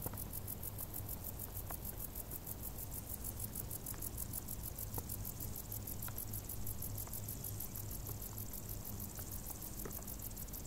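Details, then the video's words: Crickets singing from tall grass in warm summer: a continuous high, finely pulsed chirping with steady low background hum and occasional faint ticks. "Grilli | suoni dall'erba alta"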